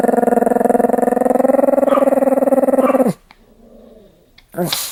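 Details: Pomeranian described as attacking people, giving a sustained buzzy, rattling growl-like cry with a steady low tone for about three seconds, then near silence broken by a short sharp noise at the end.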